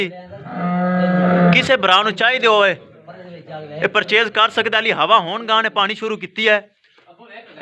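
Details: Friesian milk cow in Pakpattan, Punjab, described as giving 45 kg of milk, lets out a steady, level moo lasting about a second and a half, then a man speaks continuously over the rest.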